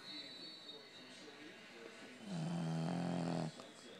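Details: A Boston Terrier asleep snores with a low, throaty, engine-like rumble that swells into one long, droning breath.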